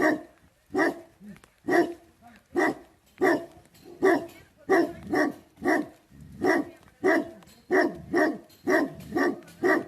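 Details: Nepalese livestock guardian dog, Tibetan Mastiff (Bhote Kukur), giving a long run of steady, deep barks, roughly one or two per second, each bark rough and chesty, with no other clear sounds.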